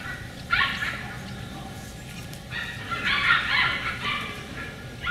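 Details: Beagle puppies from the other litter, inside the window, recorded 4/27/20: a short, sharp yelp, then a longer run of wavering, whining yips that rise and fall, with another yelp starting at the end.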